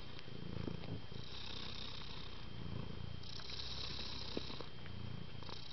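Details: Close, steady purring from affectionate domestic kittens living with their mother at home; a low buzzing rumble pulses with each breath, with a soft rustle and a quiet electrical tone in the background.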